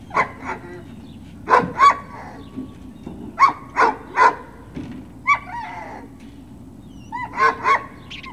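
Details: Great Dane puppies at Puppy Hill on 21 March 2019, late morning, giving sharp high yips and short barks in clustered bursts, with a few drawn-out whining yelps between quiet pauses.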